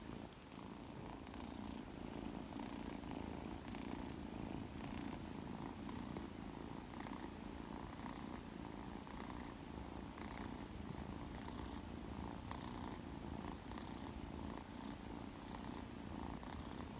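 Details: Two-month-old male Persian kitten, shaded silver, newly arrived at home, purring steadily indoors; a continuous low rumbling purr with soft rhythmic pulses from the breathing cycle, heard close up throughout.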